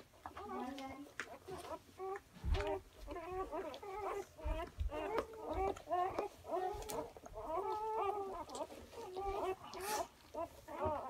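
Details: Six-hour-old newborn German Shorthaired Pointer puppies give high, wavering squeals and whines that overlap in a steady chorus.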